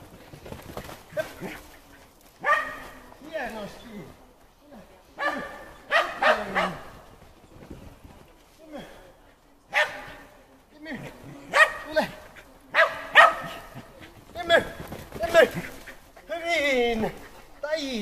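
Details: Shetland Sheepdog during agility training on the Fourth of July, giving sharp, excited barks in quick bursts of two or three, with gaps between runs, alongside a handler's brief spoken Finnish praise and commands.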